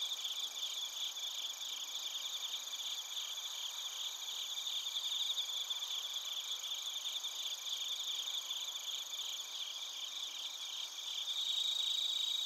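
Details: Crickets recorded at Narita, Chiba Prefecture, Japan, with a TASCAM Portacapture X8: a dense high chorus of rapid pulsed chirps layered over steady ringing trills, continuous throughout, swelling slightly louder near the end.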